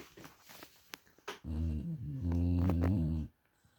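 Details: Loud snoring from a sleeping dog: after some soft rustles, a deep, rasping, low-pitched snore runs for nearly two seconds, dipping briefly in the middle before cutting off into quiet.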